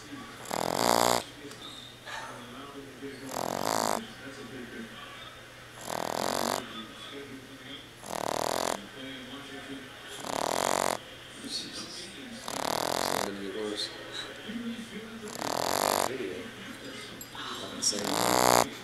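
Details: A Boston Terrier snores loudly, with harsh, rasping breaths repeating about every two to three seconds, under a steady background hiss.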